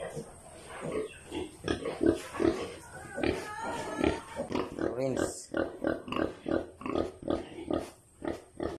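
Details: Pigs on a farm, with a sow that has few piglets: rapid, rhythmic grunting, several grunts each second, rising to a brief squeal midway, with some human voices mixed in.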